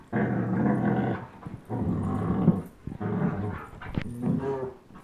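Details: Two young dogs, a 10.5-month-old German Shepherd and a 1-year-old Old English Sheepdog, growl while playing tug of war: deep, rumbling growls in three long bursts of about a second each, with short gaps between them.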